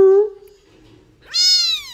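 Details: Domestic cat giving two meows indoors: a short, steady tone that fades out, then after a pause a louder, rising, drawn-out meow with rich harmonics lasting about half a second.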